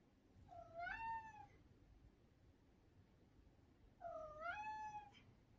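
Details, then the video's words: Domestic cat meowing twice, each meow a clear harmonic cry about one second long that rises then falls slightly, the second coming about three seconds after the first, over a quiet low background hum. "Funny Cats and Kittens Meowing Sound Effects Compilation"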